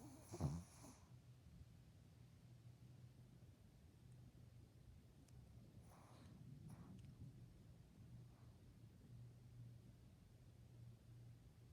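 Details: Sleeping dog snoring softly: a low, steady rumbling drone that swells slightly midway, with a brief sharp snort near the start and faint breathy rustles in otherwise quiet surroundings.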